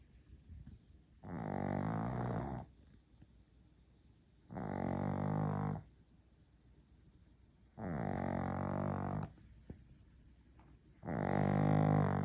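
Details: Maltese-Shih Tzu cross dog, tired after its owner's workday, snoring loudly indoors: four long harsh rasping breaths, each about one and a half seconds, spaced roughly three seconds apart with quiet between.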